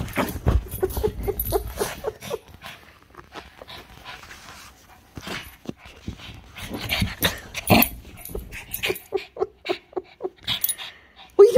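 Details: Milo, a Shih Tzu, going wild: a rapid run of short, sharp yips and barks in bursts, a quieter lull near the middle, then more clustered yaps, with soft whimpering between and human voices in the background.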